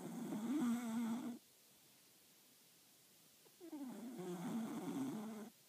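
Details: Mr. Tickles, a four-year-old solid black velvet-coated Cocker Spaniel, snoring: two long raspy, tonal breaths with a wavering low buzz, separated by a quiet pause of about two seconds.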